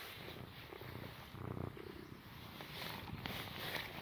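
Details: Shy little cat purring while giving a quick hug; soft, low rumbling purr in uneven pulsing waves, growing slightly louder around the middle, with faint background hiss.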